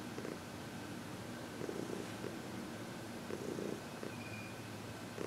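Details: Senior cat Heidi, a female aged 14 adopted from the Humane Society of New York City, purrs contentedly while receiving massage and reiki, February 22, 2021; continuous soft purring swells in rhythmic pulses about every one and a half seconds, one faint thin tone.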